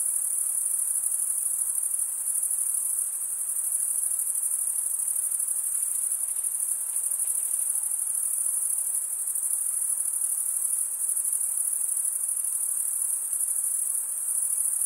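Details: Crickets chirping in a steady, unbroken high-pitched shrill that holds the same level for the full stretch, with a faint soft hiss lower down and no other voices.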